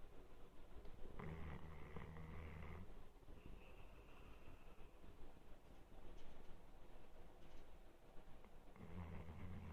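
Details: Labrador Retriever named Rukura snoring in sleep: a low rumbling snore with a faint buzzy overtone lasts from about one to three seconds, then quiet breathing, and a second snore begins near nine seconds.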